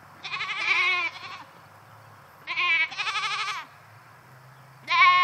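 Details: Goats penned by themselves in a new fence calling out in protest; three loud, tremulous, vibrating bleats, each about a second long, separated by brief quiet gaps over a low background hum.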